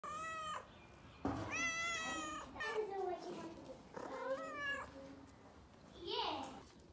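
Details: A brown cat meowing indoors: several drawn-out, tonal meows, some bending up then down, about half a second to a second each, over a steady background hiss.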